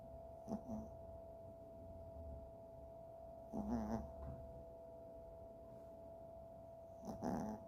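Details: Sleeping Chihuahua giving low, rough snores roughly every three seconds, each a short breathy burst, with a constant background hum filling the gaps.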